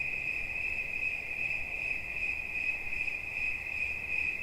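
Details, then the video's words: Continuous cricket chirp, a bright high-pitched trill with gentle rhythmic pulsing over a quiet hissy background, presented as relaxing sound. "Świerszcz. Dźwięki relaksacyjne"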